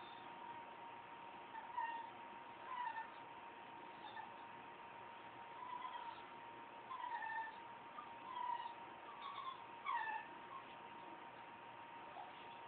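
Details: Dolly, a cat, making odd noises: short soft meows and chirpy trills scattered through the recording, each brief and bending in pitch, over a steady electrical hum.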